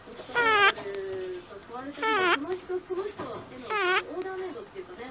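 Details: Sleeping pet rabbit Simba, aged 11, gives a whistling 'pii-pii' snore. There are three strong squeaky bursts that bend upward and then drop, about every 1.7 seconds. Quieter trailing hums follow each burst.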